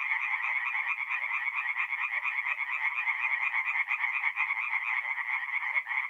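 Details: Many tree frogs calling together by night at a forest pond in north-east Italy in mid-April, their rapid pulsed croaks merging into a steady, continuous rasping chorus with no other sounds.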